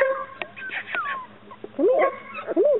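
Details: Chesapeake Bay Retriever puppies making high squeaky whines, one sliding down in pitch, followed by short rising-and-falling yelps, with a woman's voice calling them softly.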